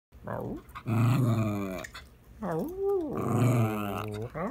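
A Cairn terrier makes drawn-out, rising and falling growly moans that sound like talking.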